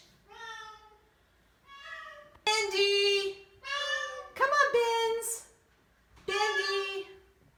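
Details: Oriental Shorthair cats, one of four, very vocal on their first day in a new home after a house move; loud nasal honking cries, about a second each, repeated with short pauses, some rising then falling, in a small indoor room.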